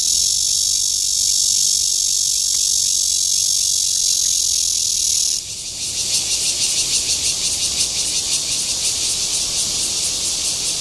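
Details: Cryptotympana holsti cicada giving its courtship call at Guangming Park, Yuanhua Road Section 2, Zhongli, Taiwan: a loud, steady, high buzzing drone that abruptly switches partway through to a rapidly pulsed, throbbing buzz.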